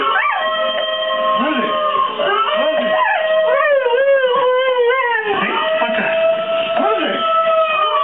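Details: A Siberian Husky howls in long, wavering tones, answering recorded wolf howls played from a video by its owner.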